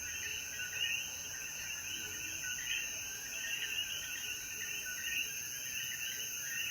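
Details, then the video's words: After sunset rain in Jayuya, Puerto Rico, coquí frogs keep up a steady chorus of quick, overlapping chirps beneath a thin, continuous insect whine. "Atardecer Después de la Lluvia • Sonidos de Coquí"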